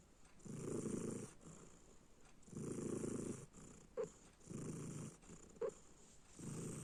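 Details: Sleeping house cat snores in slow, rough low-pitched breaths about every two seconds, with two brief soft clicks between snores over a constant background hiss.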